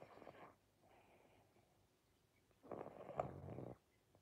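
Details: Pangpang the pug, sleepy, snores with two rasping, low breathy bursts: a soft one at the start and a louder, longer one near the end, separated by quiet pauses indoors.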